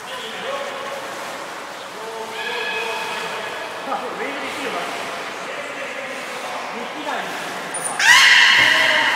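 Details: Belugas Nana and Niko during a training session at Port of Nagoya Public Aquarium, Japan, 7 October 2018: drawn-out harmonic, nasal tones with rising sweeps, then a sharp high whistle near the end and a louder, buzzy bright call over background chatter.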